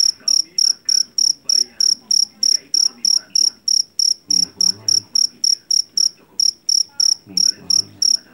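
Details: Javanese field cricket, known locally as jangkrik jeliteng and caught from rice paddies, gives piercing evenly spaced chirps roughly three each second, one short gap, over soft low murmuring noises in the background.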